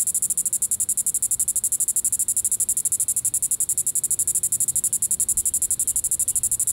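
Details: A Diceroprocta vitripennis cicada calls in the evening at Sand Hills State Park, Reno County, Kansas, on July 20, 2014: a high, hissing buzz pulsed rapidly at about four beats per second, steady throughout.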